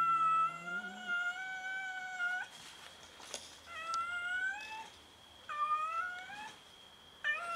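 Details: Several domestic cats fighting each other over food give long, drawn-out meows, four in a row with short gaps. Each is a steady, slightly wavering tone with rich overtones, one ending in a rising squeal. A constant high electrical whine runs beneath.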